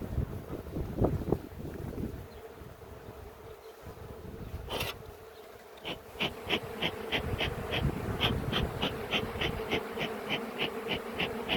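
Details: Aggressive honey bee colony examined after harvest in a Ceyhan village apiary in July; a constant even drone with handling noise, and a sharp clicking sound repeating rapidly through the second half.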